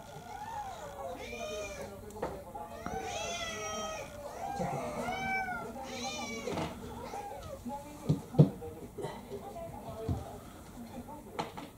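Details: Indoor domestic cat, a male about seven years old, meowing insistently for a special menu after rejecting dinner; several drawn-out wavering meows close together, a woman's voice and light clinks in the background.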